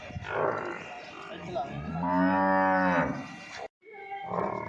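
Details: Nili-Ravi buffalo offered for sale in Punjab, Pakistan, giving a long low moo of about one second with rich stacked harmonics, preceded and followed by rougher lowing and brief background noise.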